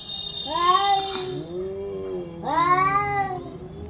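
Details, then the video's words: Orange and white domestic cat uttering two long, loud meows, each rising sharply then sliding down into a drawn-out wail, with a steady faint tone in the background. "cat funny sound"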